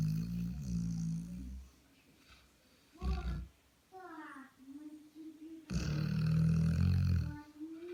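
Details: A Labrador asleep with a bitten nose gives low, growly snore bursts at the start and near the end, with quieter wavering, whine-like breathing and a short rasp in between.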